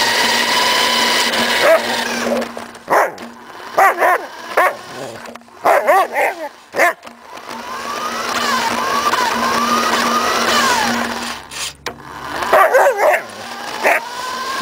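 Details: Samoyed named Suka chasing a remote-controlled car: scattered sharp barks in short bursts, then a stretch of wavering whine-like calls, all over a steady high electric motor whine from the toy car.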